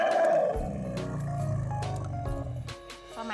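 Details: A female elephant hears her keeper's car from far away and gives a loud, deep, rumbling roar with a higher trumpet-like start, calling out as she comes out to greet him on his return.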